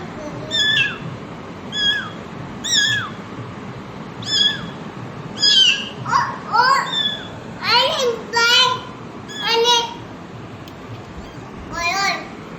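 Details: A mother cat with her kittens. High-pitched, falling mews come roughly every second, later turning into rougher, wavering cries, over faint room noise.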